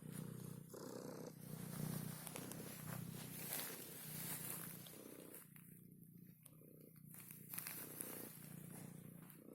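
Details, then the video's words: Pet cat making a low, pulsing purr when touched, partly masked by loud broadband hiss and rustling handling noise. "Cat makes funny noise"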